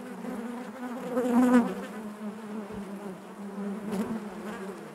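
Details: Honey bees buzzing inside their hive: a dense, steady drone with a low hum and overtones, swelling louder around one and a half seconds before settling back to an even murmur of many wings.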